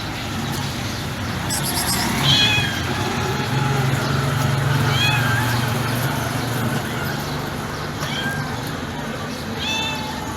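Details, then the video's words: White stray female cat with yellow eyes and a yellow tail, sitting calmly beside trash cans near a building, gives soft, delicate meows: several short rising-falling mews spread across the stretch over steady background noise and a low hum. "The sound of a white cat melts the heart"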